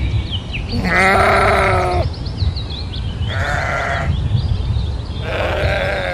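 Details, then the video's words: Domesticated sheep giving three strong quavering bleats roughly two seconds apart, with a low rumbling background and faint high chirping between calls. "SHEEP SOUNDS"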